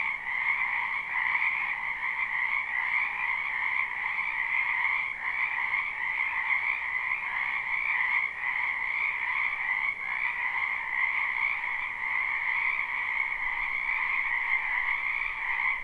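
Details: Spring frog chorus from a wetland behind a house, recorded live without looping at night: dense, unbroken trilling in two steady bands, one high and one lower, many callers overlapping with faint pulsing and no gaps.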